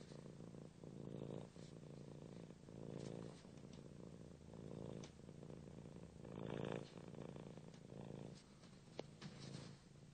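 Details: Cat purring, a low rumbling purr rising and falling in pulsing phrases, with slight clicks, recorded close and quiet.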